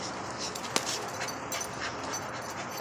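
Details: Patterdale terriers RIP and Zoie playing tug with a fox skin: panting and strained, whiny dog sounds with a sharp click partway through, as a man praises the dog.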